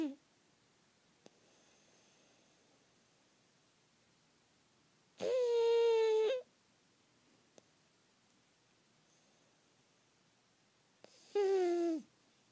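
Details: Sleeping pet pug named Pug snoring indoors: two loud, whistling snores about six seconds apart, each a steady tone that falls at the end, with near silence between.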